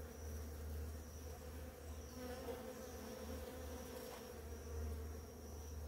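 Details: Many bees feeding on flowering ora-pro-nobis: a steady, droning buzz with a low hum near 250 and 500, plus a strong low rumble underneath and a faint high steady tone throughout.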